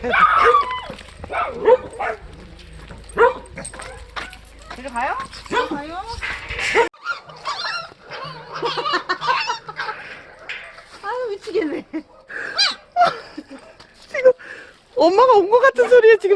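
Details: Sapsali dog family named Suri, a mother and her growing puppies moved to foster care after birth at Gimje shelter, nearing separation; short high whimpers, yips and rising whines come in irregular bursts, with human voices talking over them.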